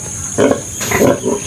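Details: Domestic sow and her surviving piglets, from a litter of twelve in which seven died: two short, rough grunting squeals around half a second apart, mid-pitched and broadband, over a steady background hiss.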